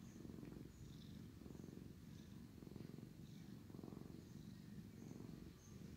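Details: Loud, steady purr from a sleepy male cat being groomed by his brother: low, buzzing rumble in pulses just over a second apart, breathing in and out, with little else heard.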